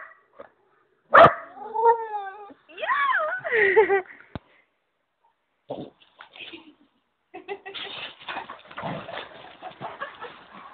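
An Old English Bulldog gives drawn-out, wavering whines that rise and fall, sounding like "mama".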